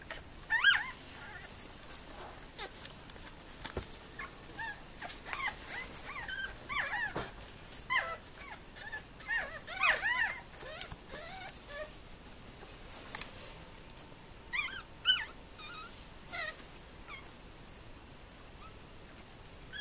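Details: Four-day-old Tibetan terrier puppies whimper in a dense run of thin, high squeaks and rising-falling whines, several overlapping at once, with quiet gaps and soft handling noises.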